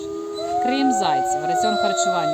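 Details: A pack of Arctic wolves in a zoo in Medenychi, Lviv region, howls together in long, steady, overlapping tones; the pack communicates this way, and an alpha pair with its leader stands above.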